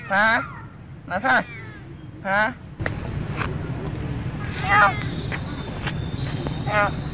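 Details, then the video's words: Female cat named Bopha walking and following the camera in Siem Reap, Cambodia, meowing: three loud, harmonic, arching meows in the first two and a half seconds, then fainter meows over a low steady hum and scattered tapping. "look this cat "Bopha" walk & meowing follow the camera"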